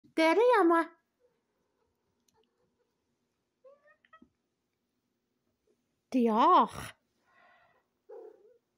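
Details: Pet cat chirping indoors: two short rising-and-falling trills, one at the start and another after a long quiet stretch, with faint household noises in between.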